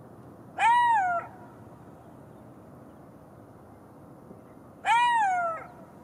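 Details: Golden jackal (Canis aureus), howl.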